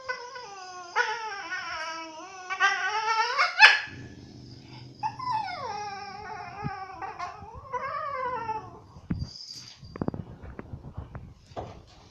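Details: Tinka, a dog staying at Phuket Dog Resort, complaining with long wavering whines that rise and fall, a brief sharp yelp, a low rumbling growl underneath, then more whines and scattered clicks and knocks toward the end.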